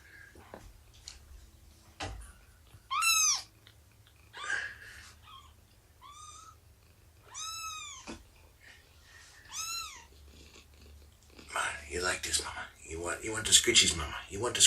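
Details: Cat indoors on a morning with Shelby, a roughly two-year-old mother cat abandoned before giving birth, and her three-month-old kittens, nursing and playing. Five or six bright, arched meows follow one another over about eight seconds, then loud rustling and scuffling sounds.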